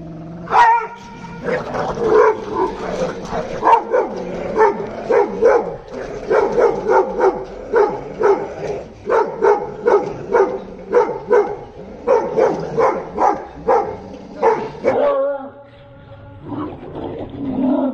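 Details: Pit bull and Dogo Argentino dogs during a fight, giving dense, rapid harsh barks and snarls in bursts, some with strong tonal harmonics, followed by a short pause and renewed lower growling toward the end.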